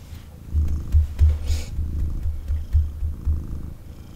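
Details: Cuddled male kitten indoors purring: rapid low throbbing rumble with quick fluttering pulses, plus a short hiss of rustling near the middle.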